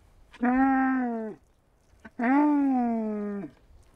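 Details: Camel calling in two drawn-out groaning bellows, each about a second long, low and steady with rich harmonics, separated by a short pause in otherwise quiet surroundings.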